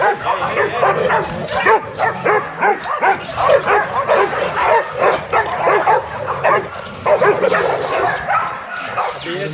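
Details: Several young Rottweilers in a kennel exercise yard, a dense overlapping tangle of barks, yips and whining cries, continuous and excited, with a person's voice mixed in.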